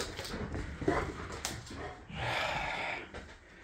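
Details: Boxer dog Layla having a tantrum when she can't get what she wants, indoors: breathy grumbles and rasping noises, then a sustained higher whining moan lasting almost a second before fading into panting.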